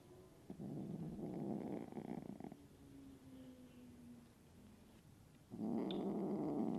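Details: Moody kitten Sunshine, attacking the other cats to be boss of the house, gives a low buzzy pulsing growl lasting two seconds, a pause with faint low tones, then a second rumbling growl starts.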